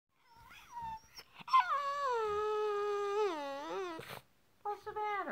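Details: A dog crying: a long, wavering, whining wail sags slowly in pitch over about two and a half seconds, then a shorter falling whine follows, with brief human sounds before it.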